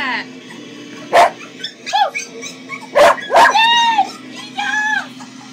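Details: A male Cocker Spaniel, reacting to Cocker Spaniel puppy sounds playing on a computer, gives a few sharp, separate barks between high, arched whimpering tones.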